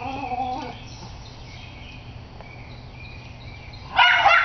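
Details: Sonya, a Schnauzer, facing off with a squirrel: a faint whimpering tone early on, then one loud, harsh bark near the end over a quiet outdoor background with soft bird chirps.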